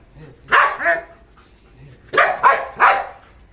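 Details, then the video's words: Belgian Malinois in guard-dog training, barking on its handler's command without attacking: four loud, sharp barks, a single bark then a closely spaced run of three, with quiet gaps between. "تدريب الكلب على النباح بالأمر بدون الهجوم"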